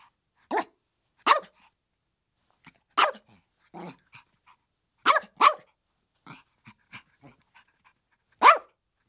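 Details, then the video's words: Sharp Chihuahua yaps in irregular bursts, about eight loud barks mixed with softer, shorter yips and a muffled rough bark near the middle, over otherwise quiet surroundings. "Chihuahuas Barking 🐕 How Cute is this Chihuahua's Bark?!"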